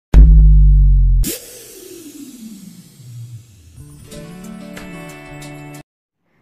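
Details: Electronic music with a loud opening bass hit, a sweeping synth tone, then a quieter beat with bright percussive notes, and no animal voice.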